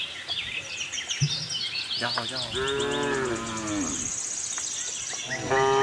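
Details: A tame herd of cows roams a cattle farm looking for fresh grass; one drawn-out, harmonic moo swells and fades over about two seconds while small birds chirp steadily in the background.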